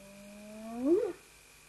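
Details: Spotted hyena giving a single whoop: a tonal, harmonic call that slides upward slowly, then swells and rises more steeply before dropping off abruptly. A steady faint electronic hum continues in the background.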